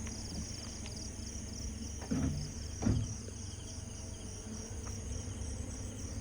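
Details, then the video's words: Crickets heard from a car descending a steep mountain road from Grace Hill, Philippines: continuous high, evenly pulsed chirping beneath a deep engine drone, with brief voices and a couple of knocks. "Yeah, you can hear the crickets."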